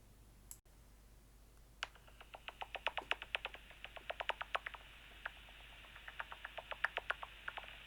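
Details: Soprano pipistrelle (Pipistrellus pygmaeus) echolocation heard through a bat detector: dry, snappy clicks, roughly four per second and slightly uneven, used to sense the distance and size of prey.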